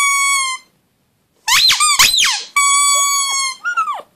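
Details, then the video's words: Pug howl made of long, steady, high-pitched whines broken by a pair of bouncing, up-and-down yelps, then another sustained whine ending in a wavering cry. "Howling pug"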